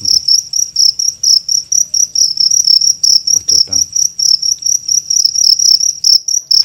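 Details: At night during a cricket hunt in Indonesia, a cricket gives loud, shrill chirps in a steady run of short, ringing pulses.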